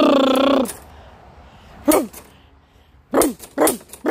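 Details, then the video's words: Rhodesian Ridgeback reacting to a lawn mower it hates: a drawn-out, tonal harmonic whine for about half a second, then after a pause three sharp, loud barks with falling pitch, the last two close together. "Rodeshean Ridgeback hates the lawn mower lol"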